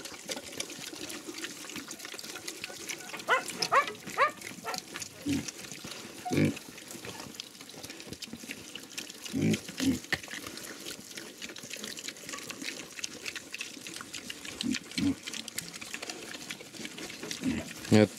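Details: Hungarian Mangalica piglets on an eco-farm eating chicken offal, one running off with a chicken head: scattered short low grunts every few seconds amid steady crunching, slurping and rustling feeding sounds.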